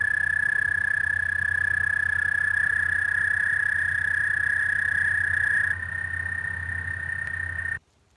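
An American toad gives a long, steady, high musical trill, its spring breeding call.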